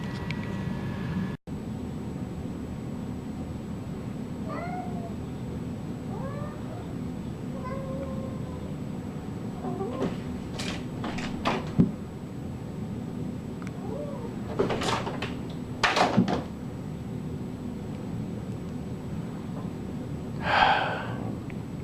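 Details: Domestic cat meowing several times in a row, short rising-falling mews around the middle, against a steady low hum, followed by clatter and knocks as the door is worked open, with a brief human voice.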